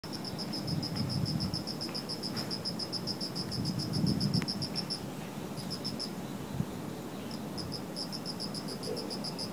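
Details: Insects chirping in shrubbery on an autumn night: a rapid train of high, pulsed chirps that breaks off briefly twice in the second half, over a steady low rumble.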